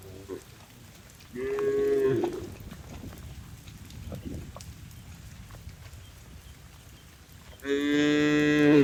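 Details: Cattle being brought home to the shed in heavy rain; a short moo, a fuller harmonic moo, then a loud bright bellow near the end, over patter of rain.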